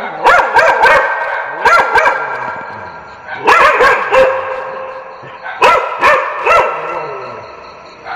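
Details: Barking dogs for desensitization training. Four tight clusters of two or three sharp barks each are spread over eight seconds, with brief lulls between the clusters.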